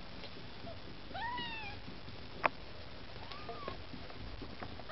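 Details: Maine Coon kittens with their mother Lakshmi, indoors, trying to get food: two thin, high, arching meows with bright overtones, the first stronger, the second softer and shorter a couple of seconds later, over low room hum and one sharp click.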